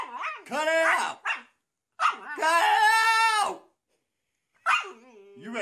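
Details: Siberian Husky vocalizing in three bursts of wavering, yodel-like calls. The middle call is a long, sustained howl of about a second and a half that bends up and down, with short yelping notes before it and a final brief wail.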